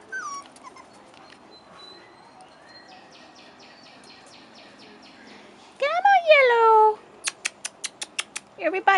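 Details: A single long, falling whine from Rottweiler puppies aged 4.5 weeks, outside for the first time, follows quiet background, then a string of crisp clicks and coaxing speech.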